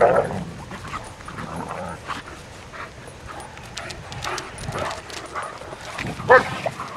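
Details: On a morning walk, four female Irish Wolfhounds romp together. A brief yip opens, then scuffling and rustling dominate before another sharp, high yelp near the end.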